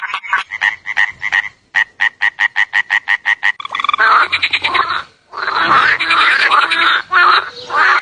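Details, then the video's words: Frog croaking: a row of short, evenly spaced, buzzy pulses about five per second, then overlapping denser calls forming a noisy chorus. "Suara Katak"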